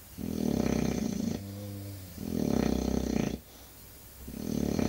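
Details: English Bulldog snoring: loud rough low rasping breaths in long bursts of about a second, separated by quieter humming exhales with steady low tones, in a small indoor space.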